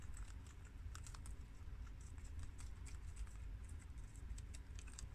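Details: Pet guinea pigs Shiro, Crash, Cookie and Peanut chew romaine lettuce from the garden. Sharp, crackly bites sound like light tapping, clustered in quick runs with brief pauses, over a soft low-pitched background drone.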